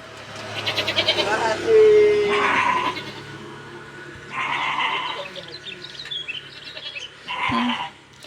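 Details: Goats kept at a home livestock trader's place in Mulyorejo, Indonesia, where cattle and goats are bought and sold; three harmonic, wavering bleats come about every two and a half seconds, with people talking throughout.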